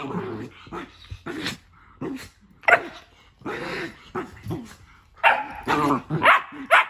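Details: Two pet dogs, Nala and Jersey, playing in their new playroom, Nala keeping Jersey out of the tent: quick bursts of sharp barks mixed with low rumbling growls, irregular and loud, about two per second near the end.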